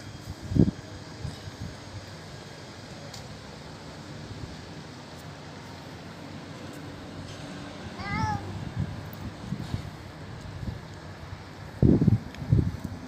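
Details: Old feral cat, very hungry, crying while eating food offered at a doorstep: a single short wavering meow midway, with soft thumps and clatter of eating or handling before and after over a low steady background hum.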